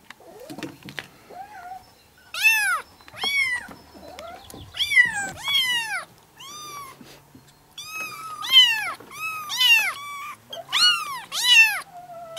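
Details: Kittens four and five weeks old, seven in all, from two sibling mothers in a grandmother's yard, June 2017, calling at once; shrill arched mews come in uneven runs, some overlapping, after a quieter start.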